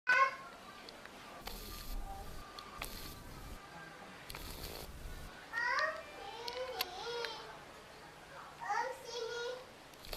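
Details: Pet cat Yupi, also called Kluwuk, gives a few short harmonic meows midway and near the end, bending up then down, between quiet stretches with clicks and soft handling noises.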